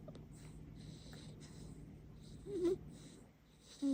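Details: A female pit bull puppy asleep and dreaming gives soft, wheezy snoring breaths in quick repeated puffs, broken by a short squeaky whimper partway through and another thin whine at the end.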